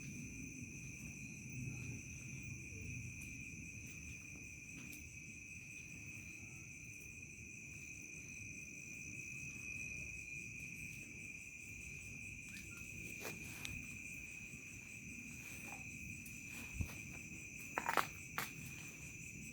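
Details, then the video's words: Village crickets at night keep up a continuous high-pitched double-toned drone, steady and unchanging, above low background rumble; a few sharp knocks and clicks break in toward the end. "SUARA JANGKRIK SENJA MENJELANG MALAM"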